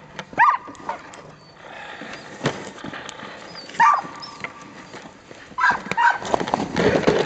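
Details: Samoyed sled dogs of a three-dog team on a training run in Minnesota, February 2010; a few sharp, high barks or yelps stand out at intervals over a broad rumble of running, harness and snow noise.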